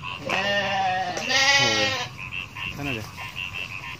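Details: Goats, a herd of hundreds walking through rice fields in Indonesia; one long wavering nasal bleat, then a shorter second bleat, over a background of steady rhythmic croak-like pulses repeating several times a second.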